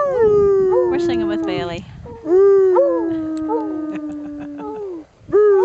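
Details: At Winter Haven Dog Park, a Beagle howls in a duet with its owner: long, drawn-out falling howls with quavering bends, one breaking off into a rough yodel, then a fresh howl starting at the end; a man's voice blends in.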